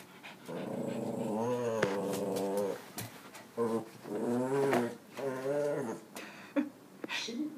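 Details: Pet dog urged on to chase a cat, making drawn-out, wavering whining and moaning cries with rising and falling pitch, several long howl-like notes of about a second each, with a few short clicks and thumps between.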